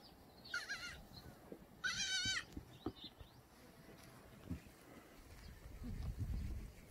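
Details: Free-range Korean black goats in a farm exercise yard below Muchuksan, Gimhae, South Gyeongsang, clear morning of 13 May 2020: two strong tremulous bleats with rapid vibrato, the second longer, followed by low thuds and shuffling.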